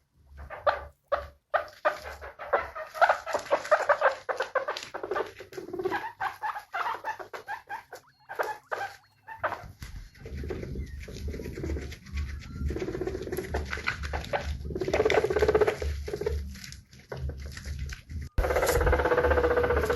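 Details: Guinea pigs, presented as happy, give rapid runs of short squeaky calls with harmonics, several per second, over a steady low hum; after ten seconds the calls grow softer and more blended, ending in a louder continuous stretch.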